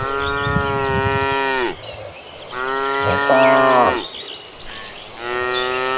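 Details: Calm cattle in a large herd walking to green pasture: three loud, sustained moos, each about one and a half seconds, steady in pitch and dropping at the end, with brief quiet between them.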